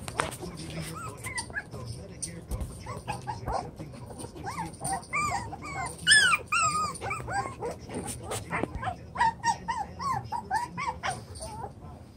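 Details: Several chocolate brown Toy Poodle pups aged seven weeks play in a widened pen, with overlapping thin, wavering whines and small yelps building in the middle, over steady low background rumble.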